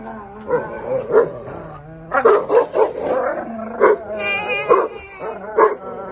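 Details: Playful barking between Buddy, a 180-pound English mastiff aged three, and Max, a young 80-pound Belgian malinois, during rough play. Short barks come in quick clusters, some higher and yappy, over continuous music.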